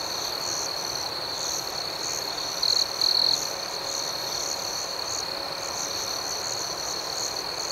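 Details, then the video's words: Crickets at night: a sustained high-pitched buzz with short trilled bursts near 2.7 and 3.2 seconds, irregular softer chirps layered above, and steady low background hiss. "Nocturnal Serenade - Soothing Cricket Sounds"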